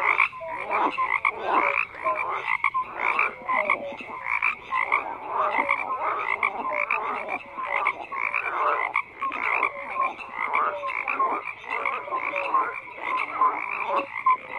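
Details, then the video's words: Massed frog croaking with rough, buzzy pulses from many callers overlapping continuously, bursts swelling roughly every second, with scattered short whistled notes threaded through the din. "FROGS CROAKING"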